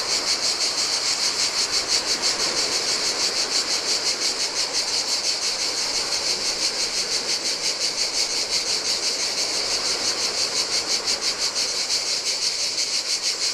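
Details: Cicadas on a lonely Greek island beach by the Adriatic sea sing in the heat, their bright, sizzling buzz beating in even rapid pulses; quiet waves splash on the sand in the background.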